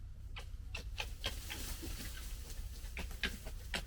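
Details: Red fox (Vulpes vulpes) gekkering, a rapid, uneven chatter of harsh clicking pulses over a low rumble: young foxes of the 2021 litter fighting among themselves.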